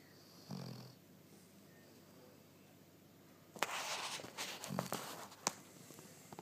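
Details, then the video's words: Evie, a pet dog, snoring indoors during one of many snoring episodes. Two low, rough snore breaths a few seconds apart, with scattered clicks and rustling between them. "Evie snoring"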